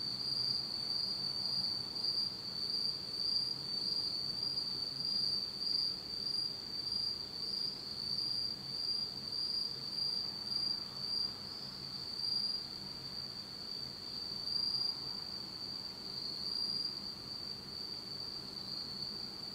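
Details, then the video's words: Insects singing on an autumn night in Japan, in total darkness: a dense, steady high-pitched trill holds continuously, with faint higher pulsed notes above and soft low background hum. "真っ暗闇の秋の虫の声 Beautiful sound of insects in the fall of Japan in total darkness."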